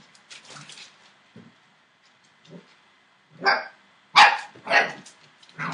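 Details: Seven-week-old Entlebucher Mountain Dog puppies from a litter born 28 December 2013; a few soft yips early, then a run of sharp high puppy barks in the second half, roughly one every half second.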